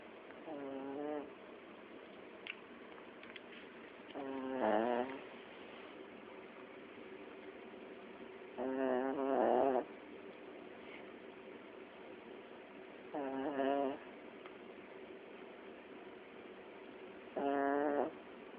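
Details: A sleeping Chiweenie dog snoring indoors: wheezy, buzzing snores about a second long, repeating roughly every four seconds over a steady low room hum.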